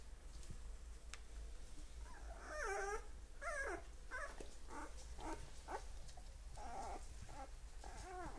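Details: Fourteen-day-old Magyar Vizsla puppies whimpering and squealing: a rapid run of wavering, rising-and-falling high whines, several overlapping, starting after two seconds and continuing in short bursts to the end over a low steady hum.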